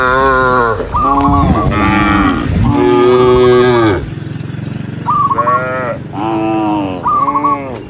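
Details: Tame cattle herded together along a countryside path at sunset, mooing. Loud, drawn-out harmonic moos overlap, several cows calling one after another, some rising and falling, with short gaps between calls and a low rumble beneath.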